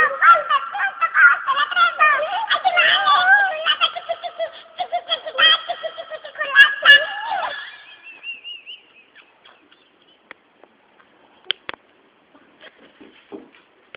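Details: Dog howling along to a ringing cell phone, as it does every time the phone rings: wavering, sliding howls with harmonics over the pulsing ringtone for about seven seconds, then near silence with a few faint clicks.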